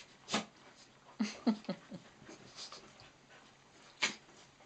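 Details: Four dogs at play on Nellie's third birthday, miniature dachshunds Nellie and Mrs Moo with cocker spaniels Rosie and Lucy: a cluster of short, low whining yelps in quick succession, between sharp scuffling thumps.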